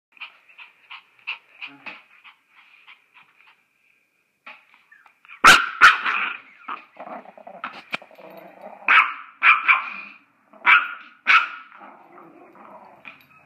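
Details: Yorkshire Terrier indoors, a family pet attacking an iPod playing apps: thin, high yaps in quick clusters, a sudden loud burst of snarling barks midway, then sharp repeated yips about every half second with faint growls between.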